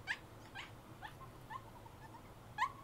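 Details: An excited 5-year-old female Boston Terrier whines in short, high, nasal bursts, about twice a second, anticipating a trip to the pet store.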